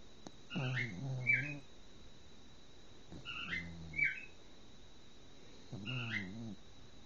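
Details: A female Cocker Spaniel, curled up asleep after daycare, a long walk and a bath, snores in slow, rumbling breaths, each ending in a faint nasal whistle.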